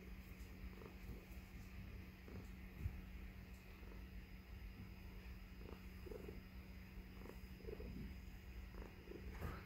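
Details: Female tuxedo cat purring inside a house while hanging out in a man's beard; continuous deep rumbling purr with light rustles and occasional soft human voice.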